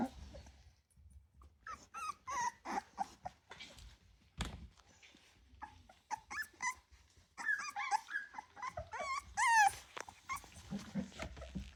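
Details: Ten Rottweiler puppies just over three weeks old whimper and yip in a busy litter; short whines come in bursts, some sliding high and wavering, separated by brief pauses and low rustling.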